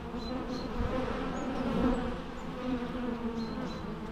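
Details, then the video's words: Bees buzzing in a steady, low droning hum with layered overtones, swelling slightly near the middle, while faint short high whistles, possibly birds, come through in the background. "natural bee sounds"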